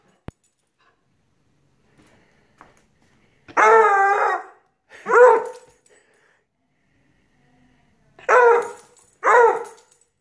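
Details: A Redbone Coonhound puppy bays in two pairs of drawn-out, wavering, rich-toned cries.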